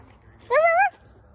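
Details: A coyote in the Grand Canyon gives one short, wavering, high-pitched yelp that rises slightly and then falls away.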